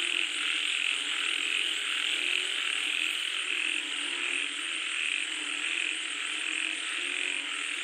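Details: Rainfall frog chorus: overlapping croaks blend into a continuous, rough, pulsing drone, fairly even in loudness across the whole stretch.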